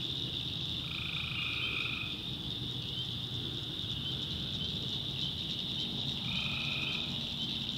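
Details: Tree frogs at night in a North Carolina backwoods swamp: two long, even droning calls open and close the stretch, with a dense, unbroken high chorus and a low rumble beneath.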